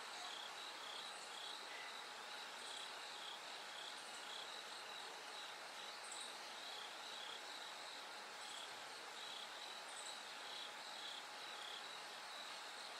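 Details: Bell cricket singing at night as it gradually grows lighter toward dawn: steady repeated high pulsed trills in a dense insect chorus, with brief higher chirps from other insects above a constant hiss.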